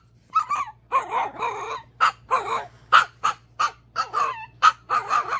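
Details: A tiny Chihuahua, too small to play with the big dogs, gives a run of high, nasal whines and short yips, several every second.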